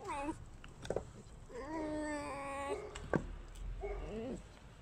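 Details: Alice, a tame pet red fox, receiving guests indoors: a short whine, then a long wavering harmonic call and a rising-falling whine. A sharp knock and background voices are also heard.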